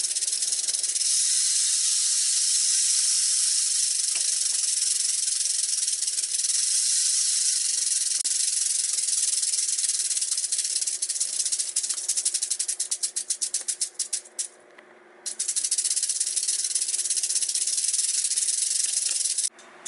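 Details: A captive western diamondback rattlesnake (Crotalus atrox) rattles during feeding: a loud, dry, continuous hiss-like buzz that sputters into rapid stuttering pulses near the end, stops briefly, then resumes.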